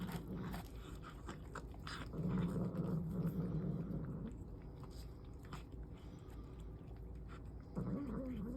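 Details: Mother cat eating her kittens' food, giving a low, droning growl for about two seconds amid chewing and clicking sounds, then a short rising grumble at the end.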